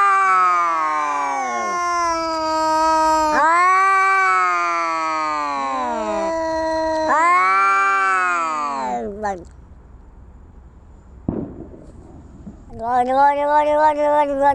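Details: Cats fighting, with a rapid series of arching, harmonic yowls each rising then falling, several overlapping, followed by a quiet stretch with one sharp click and a final wavering, quivering howl.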